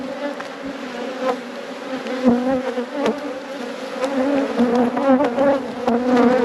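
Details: Dense, continuous buzzing of a honey bee colony at an apiary during an inspection. The low hum stays steady throughout, with scattered clicks and taps over it.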